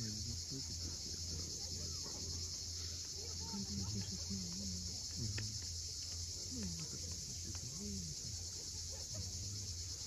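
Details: Steady high cicada drone at sunset on the Crimean coast at Cape Fiolent, accompanied by low wavering tonal sounds and a few sharp clicks below the buzzing.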